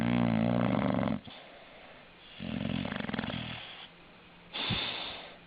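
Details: Sleeping dog snoring indoors: three rough, rasping breaths, the first loud and harmonic-rich, then quieter drawn-out snores about every two seconds.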